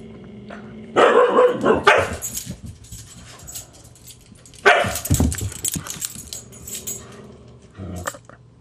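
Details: Grouchy Husky Siku snaps at the teasing Husky puppy Loki. Two harsh, noisy snarling bursts arrive about four seconds apart, mixed with scuffling and a short grunt near the end.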